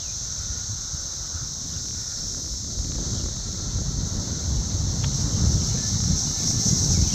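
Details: Summer cicadas in the south suburbs of Chicago, Illinois, June 3, 2024, flying around and buzzing, an even high hiss holding steady throughout while gusty low wind noise grows toward the end.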